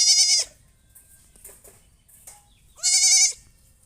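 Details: Goat bleating: two loud, high, nasal bleats, each under half a second, one at the start and one near the end, separated by a quiet stretch with faint background clatter.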